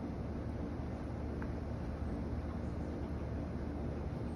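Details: Steady outdoor rumble, like passing traffic or wind, runs throughout with no animal voice.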